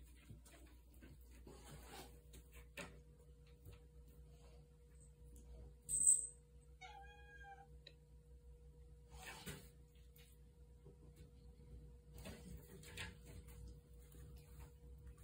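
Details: Viper, a pet cat, meowing in the middle of the night, wanting to go outside, indoors in a small room; one short, faint, tonal meow after a sharp click, over a steady low household hum.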